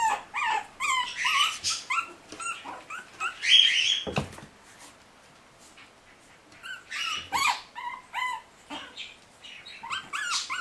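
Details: Litter of puppies at 40 days old, escaping, whining in bursts of shrill, wavering yelps, rapid overlapping cries, a brief quiet stretch midway, then the whimpering resumes.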